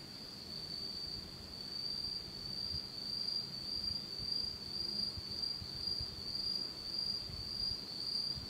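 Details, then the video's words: Autumn insects singing on a pitch-dark night in Japan: a steady, high, shrill trill holds one pitch throughout, swelling and fading roughly twice a second, with a faint low rumble underneath. "真っ暗闇の秋の虫の声 Beautiful sound of insects in the fall of Japan in total darkness."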